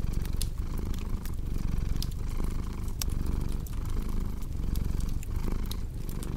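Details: A cat purrs in a thick, grainy low drone that rises and falls in rhythmic breaths, while a crackling fireplace adds frequent sharp clicks.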